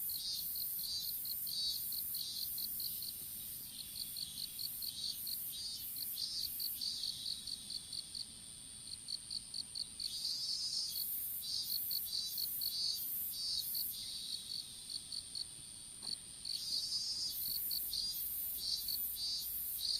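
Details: In an open-air strawberry field, insects picked up by a smartphone dropped during seedling planting give rapid, shrill pulsed chirps, about one or two per second, over a constant thin high hum and a higher buzzing layer.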